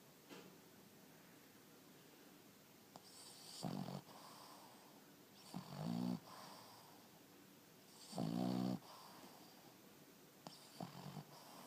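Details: Penny, a Boston Terrier pet dog, asleep and snoring indoors: four rasping, snorting breaths come roughly every two to three seconds, each a short rattling burst with quiet breathing between.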